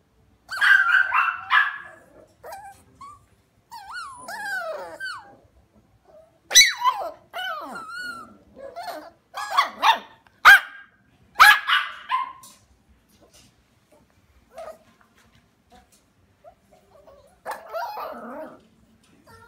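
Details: Small Havanese lap dogs from a breeder giving bursts of high, yelping barks and whiny, bending yips over about twenty seconds, separated by short quiet gaps, with no other sounds.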